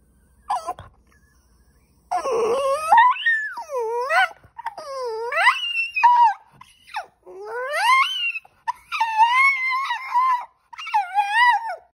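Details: French Bulldog indoors throwing a temper tantrum after being refused a spot on the couch: drawn-out wailing moans and yodel-like whines that rise and fall, coming in repeated bursts of one to two seconds with brief pauses.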